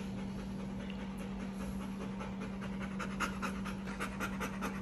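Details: Bernese Mountain Dog panting during a day out with its owner around a pool, quick rhythmic breathy huffs repeating several times a second, growing stronger toward the end, over a steady low electrical hum.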